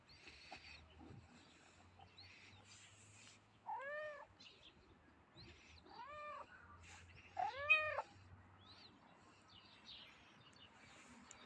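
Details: Tiny grey stray cat giving three short arched meows, each rising then falling in pitch, spaced about two seconds apart, over quiet rustling and faint low background hum.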